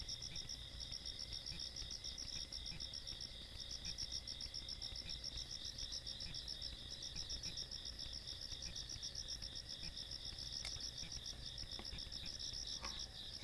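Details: Countryside night insect chorus recorded 17 August 2022, a Wednesday: dense, high-pitched ringing trills pulsing rapidly without pause, several callers overlapping, with a soft low hum beneath and a brief faint tick near the end.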